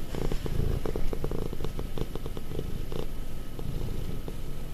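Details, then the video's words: Clingy, affectionate house cat almost five years old purring, a low pulsing rumble with rapid rhythmic grainy beats, close and steady for the whole stretch. "ゴロゴロ猫 Rumbling cat"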